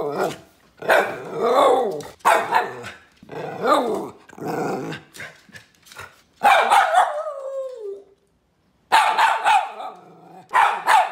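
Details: Poodle. A poodle gives a run of quick, yappy barks with some growly texture, several bursts coming close together. Partway through, one call stretches into a whining note that falls in pitch before a short pause and more barking.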